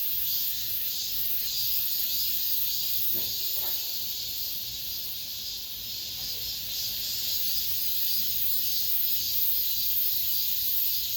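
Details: High, shimmering buzz of many cicadas in an apartment complex as summer ends, pulsing steadily, with a few brief dull thuds and faint murmurs underneath.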